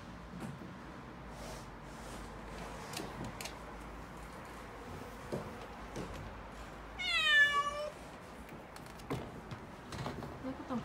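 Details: A frightened calico kitten, six-month-old female Mikene, cries out during the delivery of a new refrigerator. A single loud, quavering meow rises above steady background noise. Scattered clicks and thumps come from the movers.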